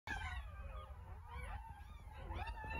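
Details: Ten newborn puppies in an incubator after a caesarean, waiting for their mother's return, let out thin, high whines that slide up and bend down, overlapping in quick succession over a constant low hum.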